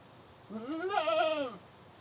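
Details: One drawn-out goat scream, about a second long, harsh and quavering, swelling in the middle and sliding down at the end.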